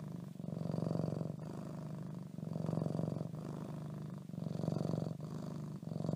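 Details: Purring from Leo, a pet cat tucked under the covers: a low, buzzing rumble rising and falling with each breath, several even cycles, muffled by bedding.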